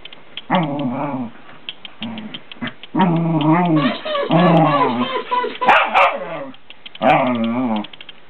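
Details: Fox Terrier barking to wake someone up: a series of drawn-out, whining, howl-like barks in bursts, with a person's voice and sharp knocks mixed in.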